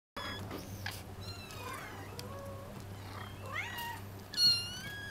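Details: Munchkin kitten, 45 days old, giving thin high mews that rise and fall, several spread through the clip with the loudest near the end, over a low steady indoor hum.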